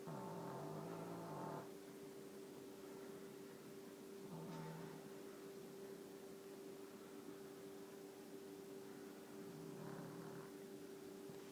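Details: Sleeping female dog snoring indoors: three raspy, drawn-out snores spaced roughly four to five seconds apart over a constant low household hum, with quiet stretches between breaths.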